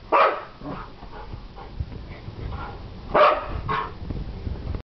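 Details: Puppies barking: a sharp yappy bark at the start, softer yips and whimpers in between, then two more quick barks near the three-second mark.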